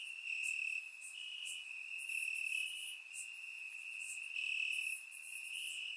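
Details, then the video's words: Crickets calling in grass at night in Bulgarian summer warmth, recorded in surround; dense steady high trill with overlapping bright chirp bursts about once a second, a layered chorus without other sounds. "Cricket Sounds - Crickets Chirping at Night"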